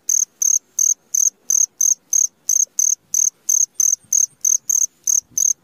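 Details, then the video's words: Steady high chirps from a cricket in the middle of the night, about three per second, each pulse sharp and bright with near silence between them. "SUARA JANGKRIK TENGAH MALAM"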